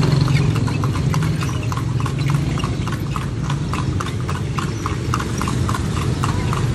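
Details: Horse carrying riders around Vigan, Philippines, its hooves beating a fast steady clip-clop, roughly three to four knocks a second, over continuous low droning noise.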